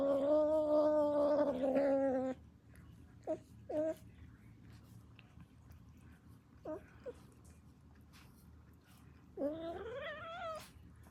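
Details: Kitten making weird noises: a long, strained, wavering meow lasting about two seconds, then two short chirping squeaks, a brief squeak near the middle, and a final rising, slightly harsh meow. The background is quiet.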